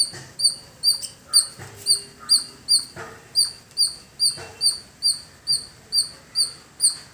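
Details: Squirrel calling in a village setting: sharp, high, clipped chirps repeated steadily a little over twice per second, each a short bright note with a higher overtone, with faint background rustling and occasional soft thumps.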